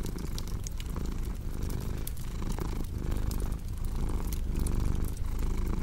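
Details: Domestic cat purring steadily in a low, rumbling rhythm, each breath cycle lasting under a second, mixed with the sharp snaps and pops of a crackling fireplace for relaxation and sleep.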